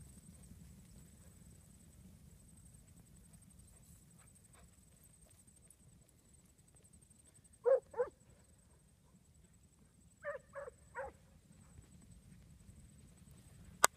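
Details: Barking from Syd, a Huntaway aged 15 months: a close pair of loud barks, then a tight run of three softer barks a couple of seconds later, over low rumbling background and a thin high whine.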